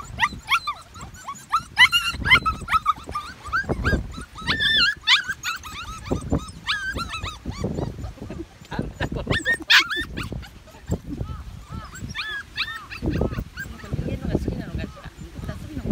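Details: Several medium poodle pups on June 28, 2018 whimper and yip in high, arching squeals, overlapping in bursts with brief pauses, against soft thumps and shuffling.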